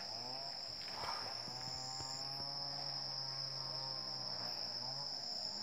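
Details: Asian elephants of a wild herd in Chanthaburi Province, Thailand, recorded 7:18 am on 10 December 2016: a low, even droning rumble lasting several seconds with faint curved overtones, a few soft knocks, and steady shrill insect noise.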